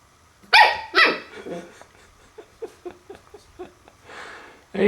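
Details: Puppy confronting a mirror for the first time: two loud sharp barks, then a string of short soft whimpering huffs, a breathy pause, and another bark starting at the end.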